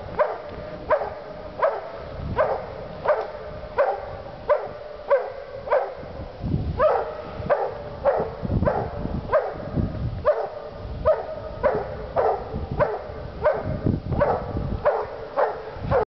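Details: Two Walker hounds treeing, a steady chop of rapid barks repeated about every half second for sixteen seconds, the two voices overlapping and alternating in a rhythmic, insistent chorus.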